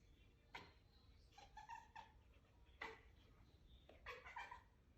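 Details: Cat reacting to a bug it is seeing for the first time: quiet, quick chirps and clipped trilling calls in three short bursts with clear tonal harmonics, against a faint steady indoor hum.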